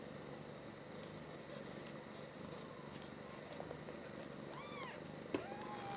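Tiny British Shorthair kittens, about a week old, make brief high-pitched mews that rise and fall. The calls come near the end, over a constant soft hiss, followed by a sharp click.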